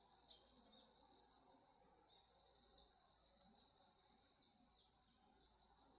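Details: Grass insects singing at the turn of the seasons: bright, high-pitched pulsed chirps grouped in clusters of three to four, returning roughly every second against quiet ambient noise.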